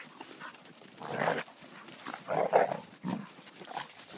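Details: In winter in Romania, a German wirehaired pointer hunting dog gives three deep, gruff barks about a second apart, the middle one a quick double, with faint outdoor background noise.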